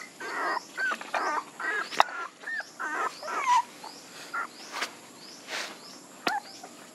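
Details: Puppies whining in a busy run of short, high, bending whimpers, several rising then dropping, bunched closely with brief gaps over about seven seconds; a few sharp knocks and clicks sound in the background.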